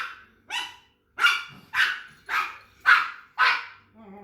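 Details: Pug barking in a steady series, six to seven loud, raspy barks at intervals of roughly half a second.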